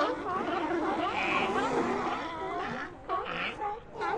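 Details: Continuous overlapping sea lion vocalizations: a thick wash of wavering, harmonic cries and barks with no pauses, briefly thinning near the end.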